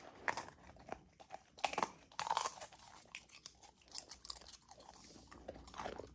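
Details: A learning Golden Retriever puppy, female, chews her frozen raw food meal inside; bright crunching bites come in rapid runs, then softer licking and smacking toward the end.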